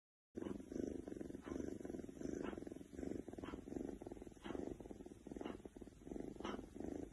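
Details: A contented Oriental Shorthair cat purrs steadily, a low rumbling vibration that swells and fades with each breath.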